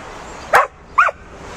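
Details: Bouvier des Flandres, a Flemish herding breed, working at herding: two short, sharp barks roughly half a second apart, standing out clearly against quiet outdoor background noise.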